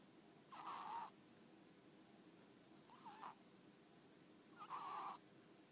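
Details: Ferret Ten-chan sleeping soundly at home, eyes half shut, tongue flicking; three wheezy, gurgling snore bursts a couple of seconds apart, the middle one softer, over faint constant background noise.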